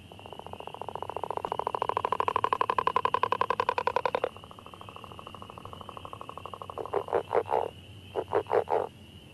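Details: Northern leopard frog, an early-spring caller in Minnesota wetlands, giving a long rattling snore of rapid pulses, then short chuckling grunts, like someone snoring.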